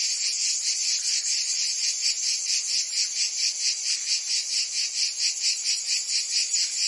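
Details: Provence cicadas in summer, France, fill the air with a continuous high-pitched rasping drone, pulsing in regular waves about twice a second, nothing else audible.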